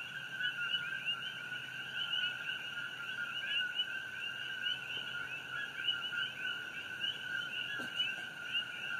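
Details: A dense nighttime chorus of coqui frogs on Hawaii Island on June 27, 2018, near the glow of the Fissure 8 eruption; their two-note calls merge into steady, high, whistled bands.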